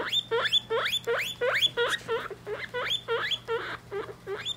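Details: Three-week-old guinea pig babies kept with their mother, indoors: repeated rising squeaky whistles, each sweeping upward, about two to three per second, fairly loud with a steady low hum behind.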